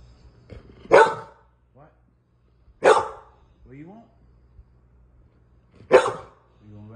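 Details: Red nose pit bull puppy barking indoors; three loud sharp barks about two to three seconds apart, with a man speaking to it in between, asking if it wants to go outside and play.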